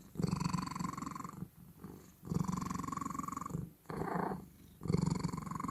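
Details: Pet cat producing odd sounds: deep, throbbing rumble in heavy bursts lasting over a second, separated by softer in-breath segments, with a short higher-pitched nasal burst near the end; indoors.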